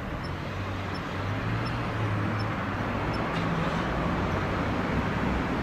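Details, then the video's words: In late autumn, with temperatures dropping, a Kanetataki cricket gives a weakening song: five faint, high, bell-like ticks spaced about 0.7 seconds apart, then silence from the insect, all set against steady low background hum. "カネタタキ(Ornebius kanetataki)の鳴き声"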